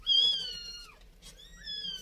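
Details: Cat indoors, a mother that has carried her kittens upstairs: two thin, high mews, each sliding slightly downward and separated by a short pause.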